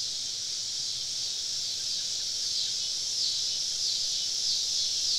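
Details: Cicadas surrounding a camp deep in the woods on a southern summer evening: a loud, shrill, steady insect buzz, rising slightly in the second half, with small faint chirping notes flicking through it.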